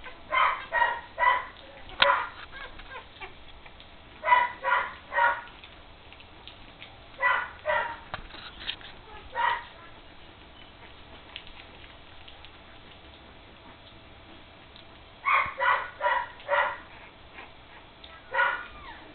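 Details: Three-week-old puppies playing together for the first time, giving bursts of short high yips and squeaky barks in clusters of three or four, with quiet gaps between the bursts.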